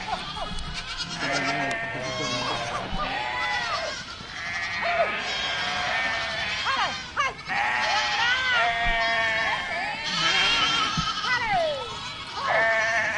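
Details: Many goats of a herd bleating continuously, wavering high and low cries overlapping, a few sharper descending calls standing out, plus occasional thumps.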